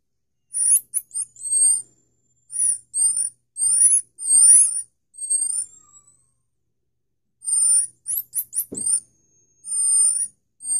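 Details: Baby common marmoset siblings calling in quiet surroundings: very high, thin whistles and squeaky chirps in short bursts, a few notes at a time, with a brief pause in the middle.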